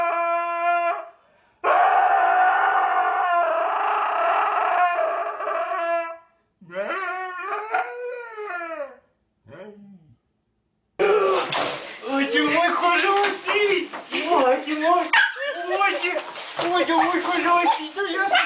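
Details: Pet Siberian Husky howling and screaming: a long sustained wail, then a series of yodelling rises and falls, a brief pause, and a burst of rapid choppy, talking-like yowls.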